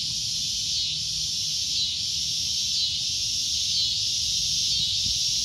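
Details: Cicada giving a loud, shrill, continuous drone, a steady high buzz with faint regular pulses roughly once a second and no other clear sounds.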